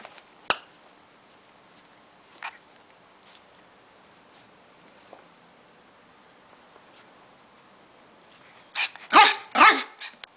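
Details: Female Miniature Schnauzer puppy indoors on her first day with a new family: a sharp single yap early on, a fainter yelp, then a quick burst of three or four loud barks near the end over a quiet room.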